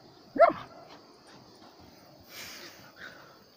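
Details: A single loud, abrupt bark from a German Shepherd, followed by quiet background with faint shuffling.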